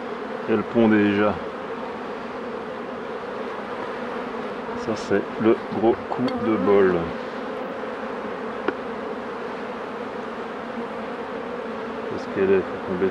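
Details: Steady low droning of many honey bees around hives during a beekeeper's work, an unbroken hum with layered overtones, with brief snatches of a man's speech rising over it now and then.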